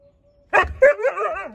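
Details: Siberian Husky Juno, reacting to a leaf blower, gives a loud sudden yelp that runs into a warbling, wavering woo sliding downward, over a faint steady hum.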